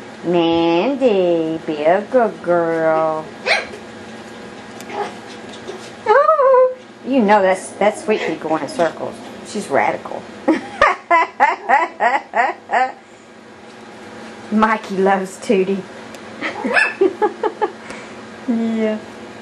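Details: Playful Yorkshire Terrier puppies going wild produce strings of high, sliding whimpers and sharp, quick yips, with dense rapid bursts in the middle and scattered squeals near the end.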